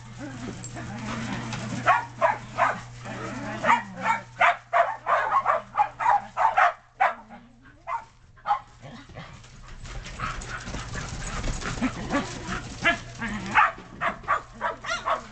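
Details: Excited Shetland Sheepdogs and puppies playing in the snow in 2010, running between yard and deck: a long run of rapid, irregular barks and yips, with a person talking in between.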